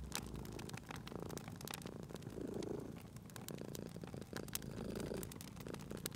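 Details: Cute sleeping cat purring by a crackling fireplace; a soft low-pitched rumble rises and falls in breathing cycles about every two and a half seconds, with frequent crisp pops and snaps from the burning fire.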